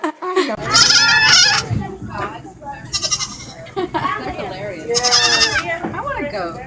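A goat gives loud, wavering, nasal bleats, with people talking in between.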